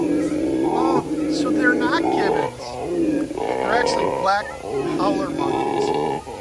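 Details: Captive dark-colored howler monkey at the San Antonio Zoo giving a loud, throaty roaring howl that swells and falls in long waves. Visitors' voices and faint music are mixed in.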